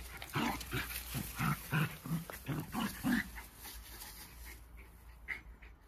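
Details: Jack Russell Terriers, a pair of friendly dogs wrestling playfully, give a quick run of short rough growls, about eight bursts in three seconds, fading into quiet rustling noise.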